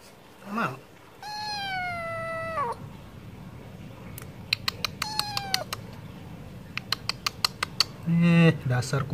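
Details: Stray cat wanting wet food: one long, level meow, then a shorter one, set among rapid sharp clicks, with a low buzzy cry at the start and a low rough cry at the end.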